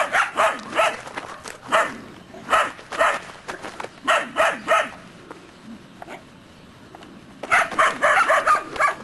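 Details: Part of a litter of three-month-old Belgian Shepherd Groenendael puppies guarding against an unfamiliar person: bursts of shrill, overlapping barks from several pups, a quiet gap of about two seconds, then another dense volley.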